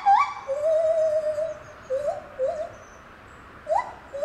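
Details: Song of a lar gibbon at Safaripark Beekse Bergen, recorded 9 July 2021: one long steady hooted note, then short rising whoops separated by quiet gaps.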